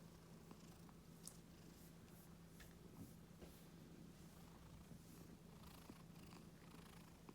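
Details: Pet Scottish Fold cat purring while being stroked on the neck and ears indoors; a faint, steady low rumble runs throughout, with soft rustling and small touch clicks from the stroking.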